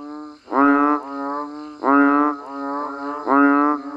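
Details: Banded bullfrogs calling in the rain in natural Thai countryside. Three loud, lowing, moo-like notes stand out, each followed by a softer overlapping call from a second frog. The loud notes are spaced roughly every one and a half seconds.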